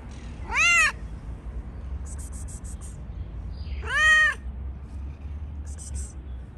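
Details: Talkative stray tabby cat fed on a city street, seeming to want to tell its feeder something: two loud, clear meows with rich harmonics, rising then falling, about three seconds apart, with faint high chirps in between over low background hum.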